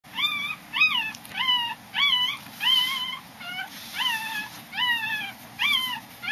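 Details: A five-day-old Corgi puppy being weighed gives high, thin squeaking whimpers, repeated about twice a second.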